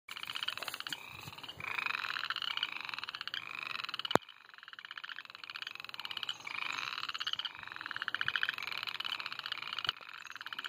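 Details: A chorus of frogs in spring at Reedy Creek State Park, North Carolina, gives rapid, high, pulsed chirps that overlap without pause.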